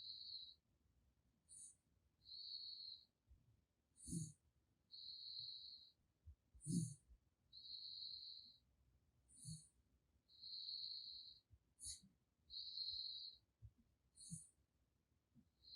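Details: Sleeping raccoon named Gaettongi snoring: thin whistled nasal tones held about a second each, alternating with brief higher squeaks, roughly every two seconds, with soft low breathy puffs and snorts beneath.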